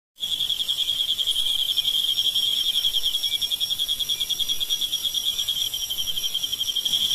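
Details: Field crickets, about 2 cm long, hiding alone in burrows by day and singing at night: a steady high, pulsing trill held without pause throughout, with faint higher overtones and no other sounds.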